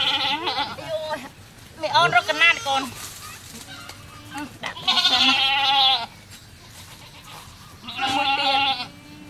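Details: Goat bleats around a birth at a cow farm where a baby goat has just been born. Four tremulous, nasal bleats are spaced a few seconds apart, each about a second long, with low voices in between.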